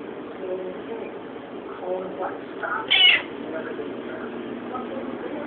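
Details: Milo the cat, wanting his Fancy Feast cat food, gives a single short, bright meow partway through, over a steady indoor background hiss with faint human voices.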